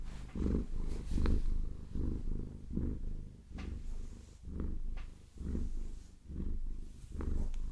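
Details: Maine Coon cat purring steadily while being massaged and scratched with long nails, low rumbling pulses swelling roughly every 0.8 seconds, with light tapping and scratching clicks of the nails over the fur.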